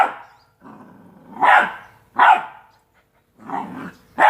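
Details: Two-month-old Rottweiler puppies at play give short, sharp barks between low, rumbling play growls.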